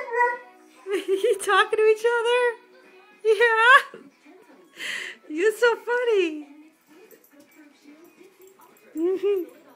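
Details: A seven-month-old Alaskan Malamute howls with an eight-year-old Husky, Chow, Wolf and Shepherd mix, both giving wavering rising-and-falling cries in short bursts as they sing and talk back and forth.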